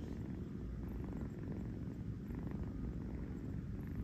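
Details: Napping kitten Kurt, who shares a New York home with his brother Gunther, purrs on a fuzzy bed: a deep, unbroken vibrating rumble with rapid regular pulses, with a soft hum in the background.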